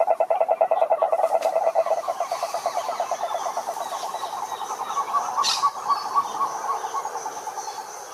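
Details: Pond frogs singing together, loud rapid pulsed calls at first that soften into a murmuring chorus, with a brief sharp click partway through.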